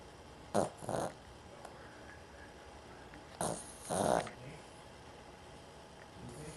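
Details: Dog asleep, snoring a lot because of trouble breathing through the nose; two pairs of rough, breathy snores about three seconds apart, each a short snort followed by a longer rasping breath, over a quiet indoor hush.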